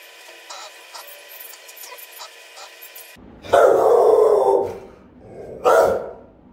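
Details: Rottweilers keeping watch over a home, caught on camera; after about three seconds of a tonal mechanical hum, two powerful, booming barks, the first long and heavy, the second shorter, around 5.7 seconds.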